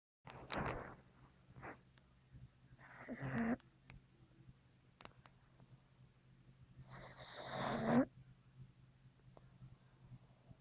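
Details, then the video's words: Precious, a dog in heavy sleep on a lap, snores in slow, breathy rasps roughly every four seconds, each a rough wheezing inhale that swells then stops, over a faint steady hum. "Snoring Dog"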